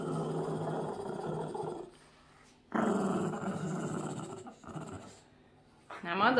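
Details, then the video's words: A Boston Terrier guarding his socks indoors growls in two harsh, rumbling bursts, each about two seconds long, with a quiet gap between; a brief higher-pitched sound comes at the end. "Funny Boston terrier growling and doesn't let anyone get his socks!"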